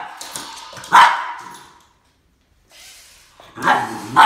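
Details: Max, a Boston Terrier, barking at a snake: one loud harsh bark near the one-second mark, a near-silent gap, then a second loud bark rising toward the end.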